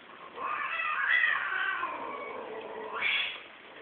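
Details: Group of cats mating at Geraki, Crete: a loud, sustained caterwaul that wavers and slides downward, then ends with a sharp upward-swooping wail.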